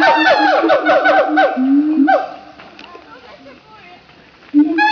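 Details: Captive siamangs at Opole Zoo, Poland, give loud, brassy barks in a quick run, then a rising, drawn-out whooping note; a guard said they call loudly for no particular reason beyond wanting to "talk".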